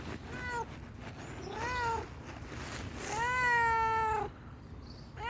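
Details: Hungry stray tuxedo cat meowing clearly three times: two short whining calls, then a long, steady, insistent meow lasting over a second, with faint outdoor rumble underneath.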